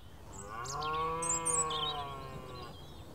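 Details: A large red deer stag roars on a clear, misty morning, a long, deep, droning roar breaking the dawn chorus of faint bird chirps behind.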